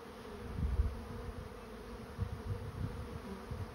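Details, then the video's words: A honey bee swarm settling into a trap hums steadily beneath heavy low thumps and rumbling bursts at the start and near the end. "Bee swarm moving into trap"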